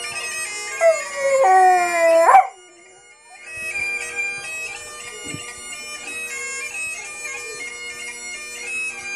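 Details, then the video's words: Dog howling at bagpipes in one brief rising and falling howl near the start, after which only the bagpipes carry on with their reedy melody and steady drone. "Howling at bagpipes"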